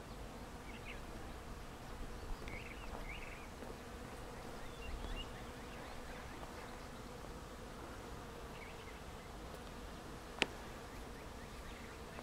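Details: Swarming bees by the thousands work flowering trees in Sand Hills State Park, Reno County, Kansas, May 2, 2004, making a continuous even drone, with a few faint bird chirps and a single brief tap near the end.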